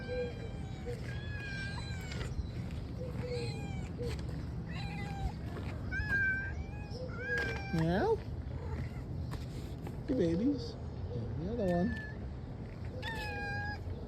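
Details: Several cats that have learned to come out for food when they hear a cough, meowing repeatedly; short rising-and-falling meows overlap throughout, with a few louder, sharply bent cries near the middle over a steady low background hum.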